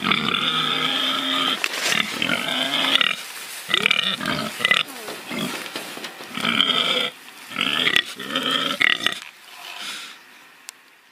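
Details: Pig (Sus scrofa domesticus), oinks and grunts.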